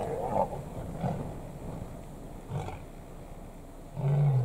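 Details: Lions in Kruger National Park, South Africa, where three big males vie for a single lioness; low grunting pulses followed by a deep, sustained roar at the end, with faint background noise.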